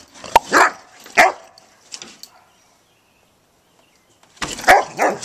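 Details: Pet dog, female, on a home deck, thinking about chasing squirrels while playing with her toy; two sharp, loud barks near the start, a quieter one, a long silence, then two more sharp barks close together.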